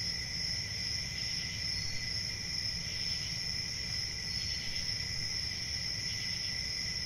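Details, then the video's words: Even, shrill cricket trilling with soft pulsed chirps woven through it, backed by a low continuous rumble. "1 Hour of Cricket Sounds"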